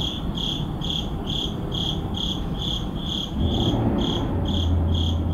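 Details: Midnight crickets in an urban neighborhood, giving evenly spaced high chirps about four per second; a low hum of traffic or machinery swells partway through.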